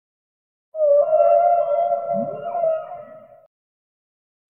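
A whale gives a long, steady, tonal moan with a brief upward sweep near its end.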